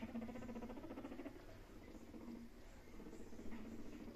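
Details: A guinea pig, meeting another pet for the first time, gives a low, buzzy, rapidly pulsed rumble in bursts.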